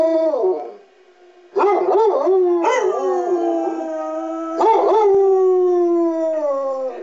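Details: Walter and Freckles, a 6-year-old tri-color and an 8-year-old tan and white Basset Hound, howl with the rotating public address sirens on the monthly test, with short broken yowls leading into long, slowly falling sustained howls.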